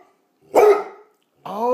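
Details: Bluetick Coonhound indoors, vocalising because it wants to go out; one short gruff bark, a pause, then a rising drawn-out harmonic howl-like call.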